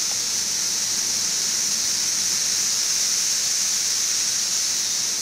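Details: Brood XIV periodical cicadas, a 17-year brood emerging en masse on the west side of Frankfort, Kentucky, in June 2008. They keep up an unbroken high-pitched wall of buzzing, quieter than at its peak. A nearby air conditioner is also running.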